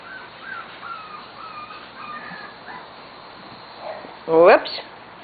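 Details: Almost six-week-old corgi puppies, Sugar and Charlie's litter, on their first outing in a play yard: a run of thin, drawn-out whines wavers and falls, then one loud harsh yelp breaks out near the end.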